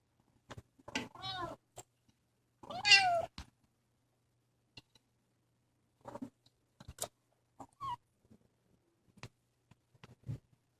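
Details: Two-month-old kitten adopted from a San Antonio animal shelter, playing indoors and recorded on a phone: a few thin, wavering meows with rising and falling pitch, the loudest near the third second, between soft scattered taps and clicks.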